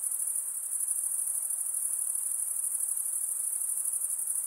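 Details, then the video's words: After dark, insects sustain a piercing, evenly throbbing high drone for the whole moment, rapid pulses blending into one continuous shimmer, with nothing else clearly heard. "night insect sounds"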